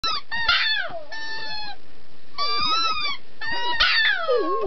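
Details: Puppy singing, a run of high wavering howls and yips with many bright overtones, some notes sliding down and others bending up and down, in bursts separated by short gaps.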